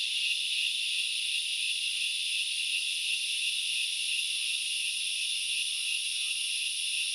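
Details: Grasshoppers in the forest of Knuckles Reserve, Central Highlands, Sri Lanka, produce a constant, even, sizzling high-pitched drone across the whole stretch; only a couple of faint lower notes interrupt.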